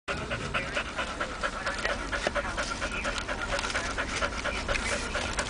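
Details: Titan, a rescued German Shepherd, in the back seat of a car on the way to the dog park after finding a bag of Hardey's: quick, irregular panting about twice a second, mixed with crinkly rustling.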